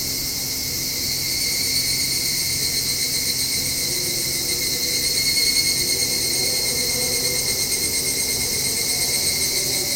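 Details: Evening cicadas buzzing in the evening from a home balcony, an unbroken high metallic shrilling, while a faint rising engine drone of a passing motorbike sounds low in the background midway.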